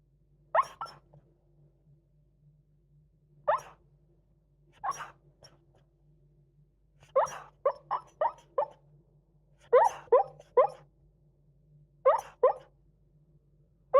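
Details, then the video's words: Merlot, a male Beagle napping at midday, snoring and sleep-talking: short snorting bursts come at irregular intervals, then quick runs of three to five clipped grunts, over a faint steady low hum. "Snoring dog／いびきと寝言がヤバい犬"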